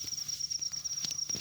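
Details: Field cricket in a rice field calling with a steady, unbroken high-pitched ring. Footsteps and rustling come from people moving nearby while they try to catch it.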